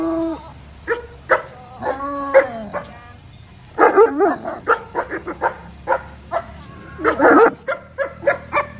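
An Alaskan Malamute gives a run of short, yodelling yips and woofs with bending, harmonic tones.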